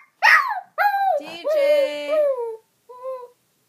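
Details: Young dog, about one and a half years old, indoors, howling whenever its owner calls the other dog DJ or talks loudly; a wavering, vocal-sounding howl that rises then slowly falls, with a short softer cry after it, following a person calling "DJ".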